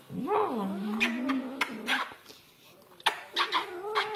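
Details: A house cat pesters its owners with one long meow that swoops down and then holds a level, plaintive tone for over a second, followed by quieter broken mews and scattered room noises.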